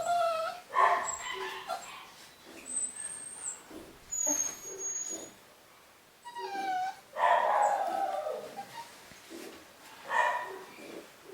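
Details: Cavapoo puppies from a new litter, first vaccinations done, give high whining whimpers and short yips in bursts, with quieter gaps between calls.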